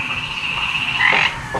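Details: Frogs calling in a flooded backyard just after rain, said to be mating; a steady high droning chorus that swells into a louder, brighter burst around the middle before settling again.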